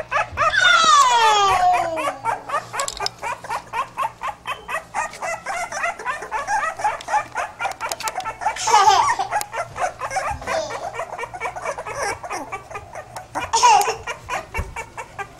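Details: Pit bull puppies opening with a long, sliding, descending squeal, then a rapid chatter of short yips and whimpers about twice a second, broken by two more sharp squeals, with human speech faintly behind.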